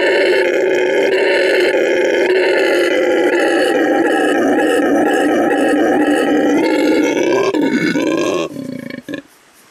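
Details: Canelo, a male red howler monkey rescued from animal trafficking, howls as loudly as he can to mark territory at his new home, Send Verde Animal Refuge in Bolivia; a continuous, loud, rough roaring howl that holds for about eight seconds, then stops abruptly.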